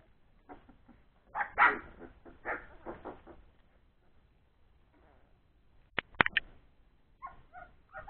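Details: Three-week-old Old English Sheepdog puppies playing after a meal: scrappy bursts of yips and rough grumbling noises in the first three seconds, then a few sharp clicking knocks and short squeaky yelps near the end.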